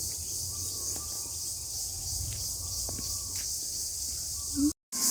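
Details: Numerous crickets in the sal forest of Madhupur, Tangail, Bangladesh, at midday give a steady, shrill, high-pitched drone, with a faint low rumble beneath.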